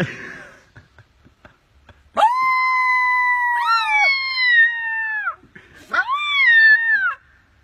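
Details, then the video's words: Adopted coyote pup, taught by its young owner to howl, gives long tonal howls: a steady sustained wail held about three seconds and sliding down at the end, a short pause, then a second, shorter howl falling away. Rich overtones; otherwise quiet indoors. "Adapted Coyote how with Ownerl"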